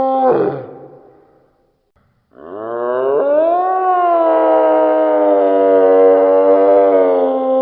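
A deer gives a brief grunt, then a long, rich, moaning bellow that rises and holds steady.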